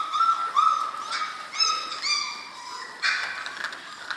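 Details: Soft, thin whines from German Shorthaired Pointer puppies aged six weeks, drawn-out high notes that bend up and down, a few overlapping, with a brief rougher burst near the end.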